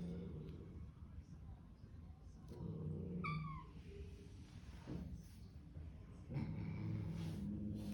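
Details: A newly arrived kitten confronting a large hissing resident cat at home lets out one short, thin, downward-curving meow, surrounded by low room rumble, rustling and faint voices.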